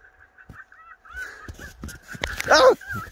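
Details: Finnegan, a pet fox playing with his stuffed toy, gives a soft wavering tone, then a loud, harsh, rasping burst of calling near the end amid bumps and rustling.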